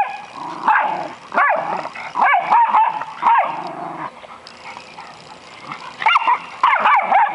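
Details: During play among an American Eskimo, a Schnauzer and a Boston Terrier, dogs let out bouncing, wavering yips and barks in quick clusters. A brief quieter pause comes midway, then renewed yapping.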